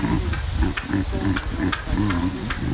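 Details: A baboon gives deep, throaty grunts, about five or six in quick succession, each a low, rounded pulse, over a faint background hiss; the grunts' meaning is being studied via recording and playback.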